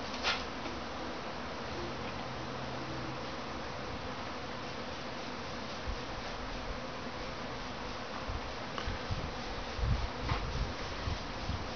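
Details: Honey bees swarming in a backyard, producing a continuous, thick droning buzz of many insects that holds steady throughout, broken only by occasional soft knocks and bumps.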